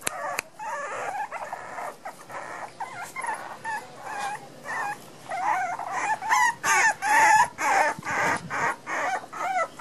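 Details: Miniature Pinscher puppies just over a month old in Los Teques, Venezuela, born 6 November 2014; repeated short whining cries about twice a second, growing louder and more insistent toward the end, with a few clicks.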